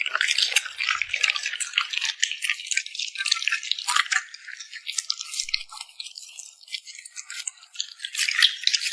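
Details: Wet, crisp smacking from a puppy enjoying a meal: a continuous patter of high, sticky clicks and licks, slightly louder at start and end, steady throughout without pauses.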